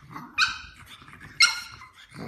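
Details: French bulldog puppies playing and getting feisty: two short, sharp, high-pitched yappy barks about one second apart, each bright and harmonic, with a soft low rumble and faint movement noise between them.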